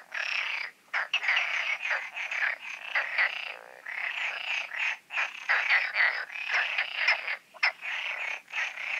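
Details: Frogs in a night-time concert at the Oasis ponds, recorded before the full moon: dense overlapping croaking and rattling trills in bursts, pausing briefly every second or two, with no other clear sounds.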